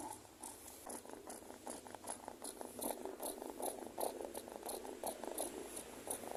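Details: Domestic cat being groomed, aggressive and refusing to have its claws trimmed yet purring to be pampered; soft rhythmic purring pulses at a steady beat of about two and a half per second, indoors, low and close.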